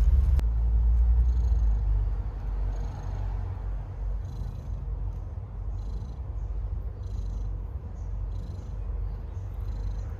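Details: Stray cat purring while giving birth to kittens; a low, steady rumbling purr pulses quickly and evenly, with a faint sharp click near the start and soft high ticking sounds in the background.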